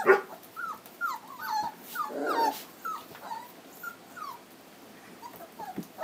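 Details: Three-week-old black Standard Poodle puppies from a 2012 home-raised litter in Lodge Grass, Montana, giving short, thin whimpers, several quick rising and falling squeaks in a scattered run, with one louder rough burst partway through.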